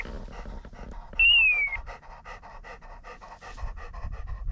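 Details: Kurzhaar pointer working wild partridges in Cyprus on 2 February 2024, rapid steady panting about five breaths per second throughout, with one shrill falling whistle blast sounding early over the dog's breathing.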